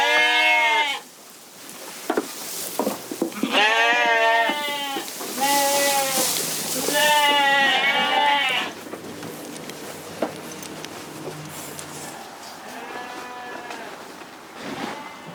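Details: On a Canadian Corriedale sheep farm, a run of loud quavering bleats, several following close together, then a quieter stretch with soft distant bleating and faint background sounds.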